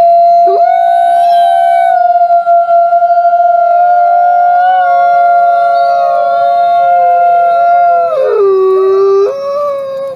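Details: Grey wolves howling in a soft, whining way. Several voices hold long steady tones together for about eight seconds. Near the end one voice drops sharply lower, and the tones waver before fading.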